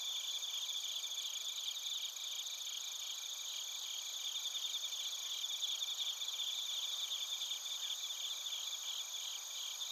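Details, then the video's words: Bell crickets and other crickets recorded in Narita, Chiba Prefecture, Japan, with a TASCAM Portacapture X8: a steady, dense chorus of high, shimmering chirps with several overlapping singers and faint, quickly pulsed trills throughout, no other sounds. "スズムシとコオロギの鳴き声 - Chirping of crickets"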